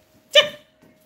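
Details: A Labrador Retriever gives one short, sharp bark, bright and rich in overtones, dying away within a quarter second, over a steady electrical hum.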